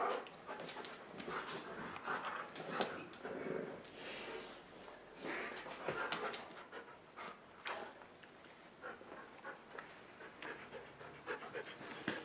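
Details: Dogs at play indoors, tumbling on a dog bed during a rainy day before the rain stops; steady breathy panting with sharp scuffling clicks and rustles throughout.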